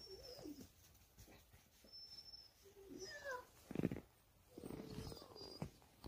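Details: A family of Jindo dogs romping in deep snow. Short tonal whines slide up and down, with a brief higher rising yelp just after three seconds and a noisy burst near four seconds. A faint thin whistle sits high above.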